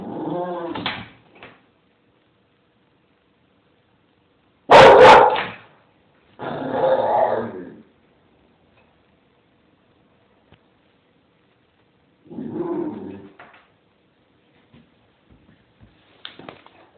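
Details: Bella Star, a nine-month-old AKC Bull Terrier, gives scattered vocal bursts: rough, growly barks and yowls, one very loud sharp outburst, then quieter grumbling calls separated by silent gaps, with faint clicks near the end.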